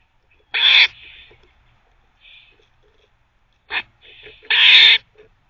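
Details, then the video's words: A squirrel barks as it teethes at a teething cafe. There is a harsh grating bark, soft murmurs, a brief clipped bark, then a longer, louder rasping bark near the end. "Squirrel barking (while teething)"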